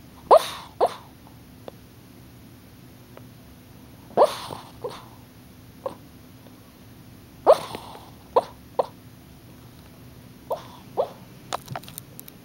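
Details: Puppy dreaming in its sleep, giving short soft huffs and whimpers in scattered bursts, roughly nine over twelve seconds with quiet gaps between, some doubled in quick pairs; no other sounds stand out.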